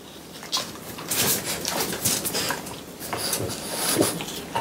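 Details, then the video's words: Indoors in summer, three French Bulldogs chew watermelon in close-up ASMR; a continuous patter of juicy, crunchy chomps with louder clusters in the middle and at the end. "프렌치불독 팡 쿤 뽀 수박 먹방"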